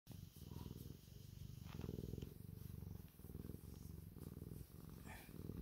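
A domestic cat purrs steadily, a low rumbling vibration pulsing with each breath in and out.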